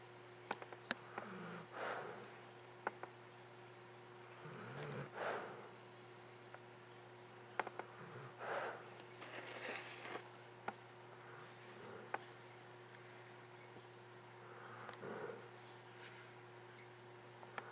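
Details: Luke, a pet dog, snoring in his sleep: soft, raspy breaths come about every three seconds, each a short rough rush of air, with a steady low hum and occasional faint clicks behind.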